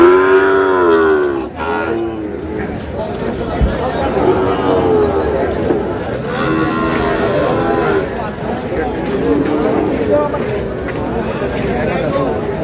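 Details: Sahiwal breed bull calves offered to a buyer from Narsingdi, Bangladesh, 19 July; a strong, rich moo opens the recording and lasts over a second, followed by a noisy crowd, haggling men and faint lowing from other cattle.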